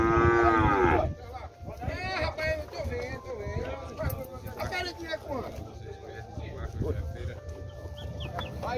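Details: Buffalo family at the cattle fair in Tabira, Brazil, lowing with a drawn-out moo at the start, then a busy fairground of people talking, shouts and music, with short calls and clattering in the background.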